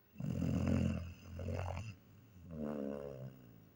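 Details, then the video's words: German Shepherd asleep and snoring, a deep, throaty rumble drawn out for nearly two seconds, then a softer, smoother second snore right after. "немецкая овчарка храпит"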